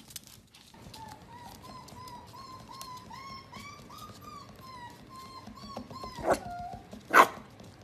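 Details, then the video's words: Pembroke Welsh Corgi puppy whining: a thin, sustained tonal whimper that slowly rises and falls for several seconds, ending with two sharp, loud bursts, over a low, steady indoor background. "Awesome Corgi Pups"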